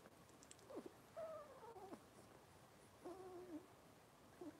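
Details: Robin's Cavalier King Charles Spaniel puppies on an indoor kitchen livestream on a Wednesday morning make soft, drawn-out whines that dip and slide, in two separate bouts with brief pauses between them, over a quiet room hiss.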